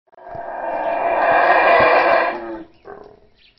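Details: A howler monkey in the rainforest gives a long, raspy, roaring howl that swells and fades, then a brief grunt.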